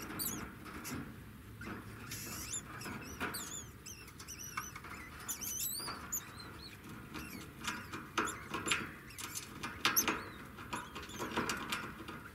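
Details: Singing degu: a faint run of short, high, twittering chirps that come in loose bursts, mixed with soft rustling and clicking sounds.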